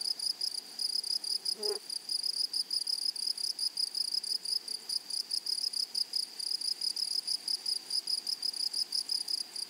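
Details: Meadow grasshoppers keep up a steady, high, rapidly pulsing buzz through a flowery prairie, with one brief low rising sound near the start; otherwise only soft background hiss.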